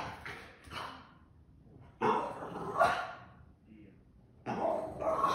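A Boston Terrier gives rough, grumbling vocal bursts, each lasting about a second, with pauses between.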